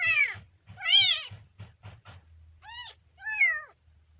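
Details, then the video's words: Kitten letting out loud, bending meows over a steady low purr-like rumble; two strong cries at the start, a pulsing rumble in the middle, then two clearer rising-and-falling mews. "kitten funny sound"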